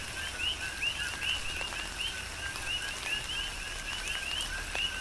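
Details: Coqui frogs in a Big Island, Hawaii rain shower, several frogs giving clear two-note calls, a short low tone then a rising high chirp, repeated rhythmically while raindrops patter and rain hisses steadily.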